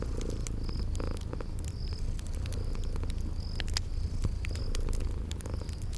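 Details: A low, unbroken purr from sleeping kitties rests beneath crackling fireplace pops in a spring garden soundscape, with thin high chirps sounding every second or so.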